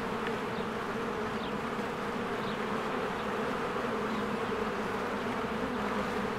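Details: Bees working at their hive in springtime, crowds flying in and out; an unbroken droning buzz with layered low tones, and several brief faint high chirps scattered across the recording.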